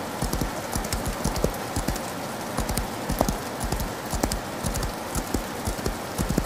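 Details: Horse galloping in the rain: quick, rhythmic thudding hoofbeats in clustered groups, close to two per second, under a steady broadband hiss of rainfall.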